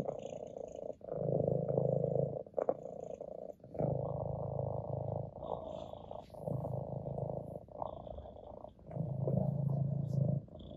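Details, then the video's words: Purring from Ginger, an orange tabby house cat resting on a lap: deep rhythmic rumbling in repeated breath-long surges of about two seconds, alternating inhale and exhale phases, with small clicks and rustles. "Ginger the cat purrs on my lap"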